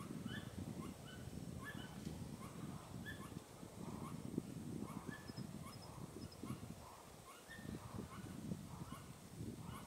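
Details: Repeated short chirps from a Pallas's squirrel with raised tail, recorded 15 April 2018 on the Tiaoshui ancient trail, the calls spaced irregularly against steady low-pitched background rumble.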